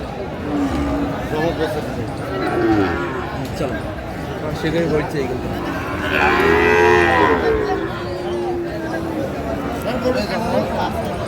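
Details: Sahiwal bull calf for sale at a cattle market, 16 March 2025, Kurigram; a loud, drawn-out bellow with rich harmonics midway, set among people haggling, crowd murmur and background music.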